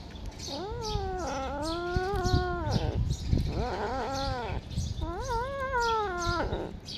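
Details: Cat giving long, drawn-out meows, three wavering calls each lasting about a second or more, with the pitch rising then sliding down, separated by short gaps, over a low background rumble.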